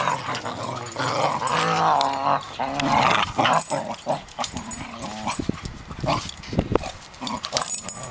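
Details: Fighting cocker spaniels, a pair bickering at each other: a long throaty growl swelling for about three seconds, then broken snarls, short barks and yelps.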